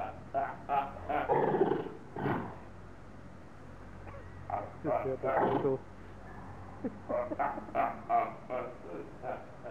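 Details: Seals in the Augsburg zoo, Germany, arguing and bellowing at one another: clusters of rough, throaty barks and growls come in uneven volleys separated by short quiet gaps, with a faint low rumble underneath.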